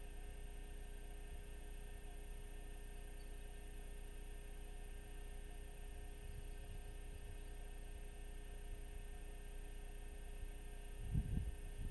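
Only a steady electrical hum and low rumbling background noise, with a brief low thump near the end; no animal calls are heard.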